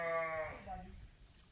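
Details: Ram on a sheep farm in the morning as the flock waits to go out to pasture: one wavering, high bleat that slides downward and fades within half a second, with people chatting nearby.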